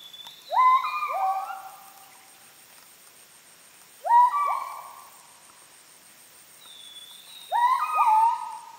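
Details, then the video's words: Müller's gibbons calling in Heart of Borneo rainforest at Sriwangi Village, Kapuas Hulu; paired rising whoops that swoop up and flatten, given in groups roughly every three to four seconds, faint insect hum behind. "The Amazing Sounds of Kelempiau"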